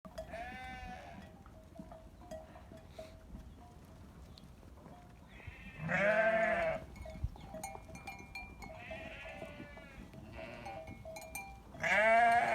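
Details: Sheep on a farm; several loud, wavering bleats at intervals, each about a second long, over a steady background hum.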